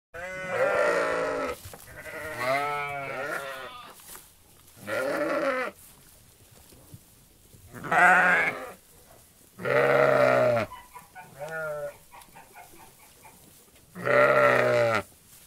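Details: A flock of sheep in a field bleats: about seven loud, quavering baas from several animals, some long and wavering, with quiet pauses between.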